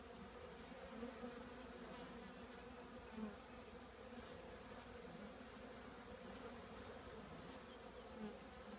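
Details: Honey bees of a colony housed in an old trash can: an unbroken low humming drone, with faint swells as individual bees come nearer around one, three and eight seconds.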